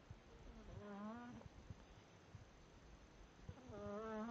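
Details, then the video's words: Smokey, a pet cat, asleep and snoring, two wheezy, humming breath sounds with a faintly whistled, wavering tone, separated by a quiet gap filled with low household hiss. "My cat Smokey.. snoring"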